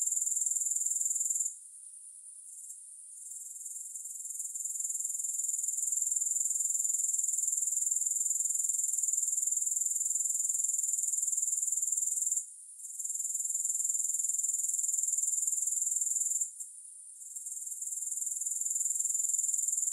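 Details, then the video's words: Grasshoppers sounding with no music: a steady, very high shimmering trill of rapid pulses that drops out briefly three times, near the two-, twelve- and seventeen-second marks, then swells back to full strength. "Grass Hopper Sounds"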